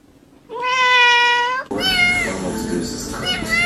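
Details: Domestic cat giving one long, steady, drawn-out meow lasting about a second, followed by a noisier stretch of mixed background sound.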